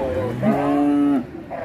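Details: A fierce, fat cow in Indonesia, said to be raging after getting caught, gives one loud, steady, low moo of under a second that ends with a brief drop in pitch. Softer sounds come before and after it.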